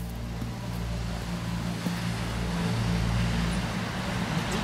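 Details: Continuous outdoor traffic rumble and hum of passing vehicles, without any animal vocalisation.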